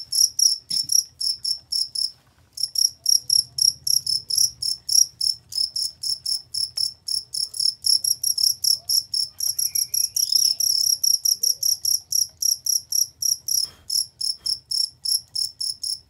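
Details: Cricket singing clear and loud, meant as a master recording for competition songbirds: a long run of high pulsed chirps, about four per second, briefly pausing early on, with a faint whistled swoop in the background.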